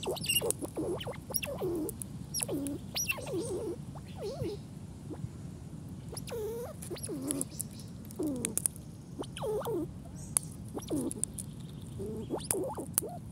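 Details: Squirrel scolding, its sound described as swearing: repeated short chattering and squeaky barks, some with curling, wavering pitch, scattered irregularly over low, steady background rumble.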